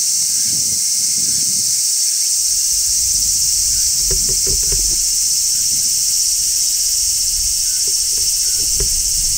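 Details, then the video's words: Midsummer song of a large brown cicada perched on a tree: continuous piercing, hissing shrill at constant pitch, with a few faint clicks and low handling knocks in the background. "Cicadas Sounds | Cicadas Singing in Midsummer | Large Brown Cicada"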